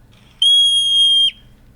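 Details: A yellow-bellied marmot, a colonial mountain marmot of the western US and Canada, gives its predator alarm: one loud, shrill, steady whistle that drops sharply at the end, the screech behind its nickname Whistle Pig.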